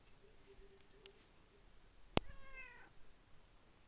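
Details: Pet tom cat at feeding time giving one short meow right after a sharp click, in a quiet indoor room with faint low hum.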